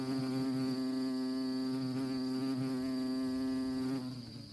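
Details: Honey bees on orchid flowers, one buzzing close by with a steady, droning hum for about four seconds before it fades away.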